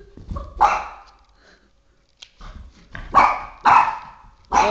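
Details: Three-and-a-half-year-old male Boston Terrier indoors, fixated on a flashlight, giving sharp mid-pitched barks in four bursts spread over several seconds, with a quiet pause between the first and the rest.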